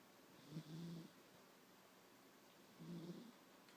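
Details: A 9-year-old pet cat snoring while asleep: two low, rumbling snore breaths, each about half a second long and roughly two seconds apart, over a quiet room.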